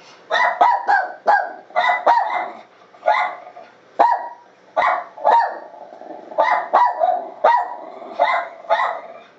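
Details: A pet dog barks back at a recording of its own bark played through a computer. Sharp, harsh barks come in quick runs and pairs, about fifteen in nine seconds, with short pauses between bursts.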